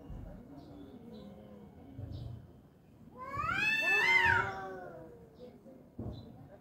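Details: A fight between two angry tomcats: low, moaning growls build into a loud, rising then falling screech at its peak, then fade back into quieter rumbles.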